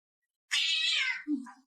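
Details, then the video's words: An orange house cat known for chatting with his owner gives one loud, sustained meow lasting under a second, falling slightly at the close, then a low groaning murmur follows in a quiet room. "My Cat Won't Stop Talking"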